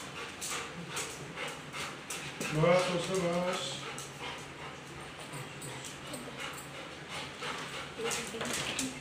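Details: Labrador Retriever, very happy, greeting its owners as they return home after a month away: a loud, wavering whining cry with sliding harmonics lasting under a second, among human voices and room noise.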